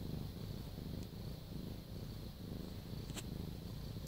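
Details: Low, grainy purring of a house cat, continuous and fairly soft, with a faint tick or two of handling noise in the background.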